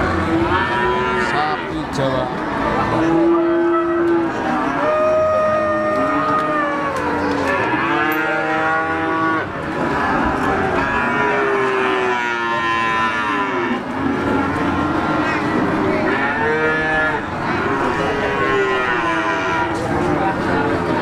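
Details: Java cattle in the Siyono livestock market, Gunung Kidul, Yogyakarta, Indonesia, trading from 6 a.m. to 1 p.m.; several moos of different pitch overlap amid constant talking and crowd bustle.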